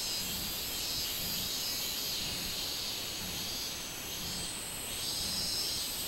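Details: Minminzemi (robust cicada) on 24 July 2016: a steady, shrill, high-frequency buzz with soft rises and falls in loudness, nothing else prominent.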